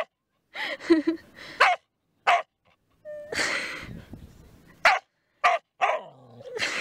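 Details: Border Collie on a beach outing on 4 June gives sharp, short barks and yelps in scattered bursts with brief silent gaps, over a soft rushing background.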